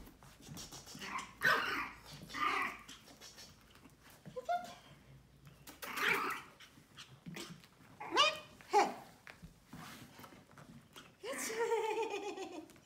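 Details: New Pomeranian puppy with a fuzzy teddy-bear face giving a string of short, high yips and whiny squeals scattered across the recording, several rising then falling. People talk quietly in Vietnamese between the calls.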